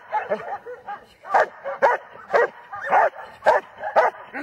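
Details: German Shepherd giving a string of barks, softer and muffled at first, then louder harsh barks at about half-second intervals until the end.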